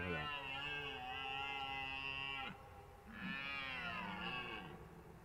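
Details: At the Han caves estate in Belgium, during the autumn rut, the dominant red deer stag, which has gathered the hinds into his harem, gives two long, deep roaring bellows, showing rivals he is present and fit.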